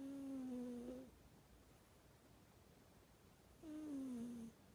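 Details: Domestic cat snoring indoors: two drawn-out whistling breaths, each about a second long and sliding gently downward in pitch, separated by roughly two and a half seconds of quiet room tone.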